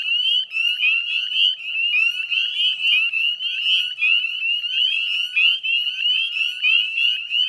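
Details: Chorus of northern spring peepers recorded at dusk, 9:08 p.m. on 18 May 2020, Chezzetcook salt marsh, Nova Scotia; innumerable high, short, rising peeps overlap densely, producing a relentless shrill sleigh-bell-like din.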